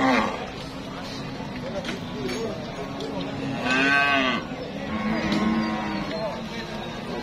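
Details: Cattle at a busy Indonesian market where demand is high and traders queue to buy: a long wavering harmonic moo peaks midway, amid other drawn-out lowing calls and a steady murmur of crowd voices.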